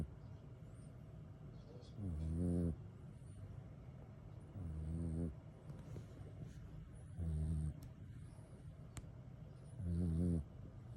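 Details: Napping kitten tired out after playing, snoring steadily: four short, low, rasping snores roughly every two and a half to three seconds, with faint background hum and a couple of small clicks between breaths.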